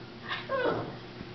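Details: A three-year-old female Lhasa Apso, described as a quiet dog, rehearsing a newly learned trick "Talk" on cue indoors; one short tonal whine-like yodel, rising then falling, lasting under a second.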